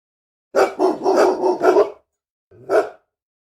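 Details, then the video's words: Angry dog in a fast string of five rough, grating barks running almost together, then a short pause and one final lower bark. "SOM DE CACHORRO BRAVO LATINDO - CHORANDO, ROSNANDO BARULHO DE CACHORRO"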